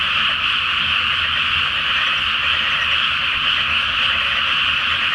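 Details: A flooded rice field awaiting planting at night, with the full moon reflected on the water, alive with a massed frog chorus: continuous high, rattling croaks blending into one loud, even drone.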